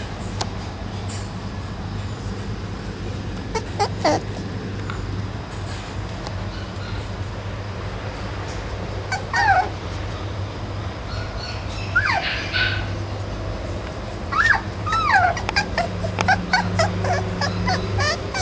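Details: Dachshund whimpering: a few thin, high, curving whines scattered through the second half, some rising then falling, over a steady low hum and faint clicks.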